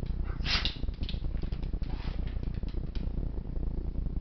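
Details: Monty, a seven-year-old black Labrador Retriever, during a sneezing attack indoors: one sharp, explosive sneeze burst near the start, then softer snorting huffs at irregular intervals over a steady low rumble.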